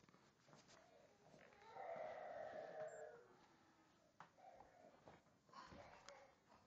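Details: Sam, an 11-week-old Springer Spaniel puppy, retrieving and playing around; a single drawn-out tonal whine lasting over a second, steady in pitch, followed by softer short sounds over a faint background hiss.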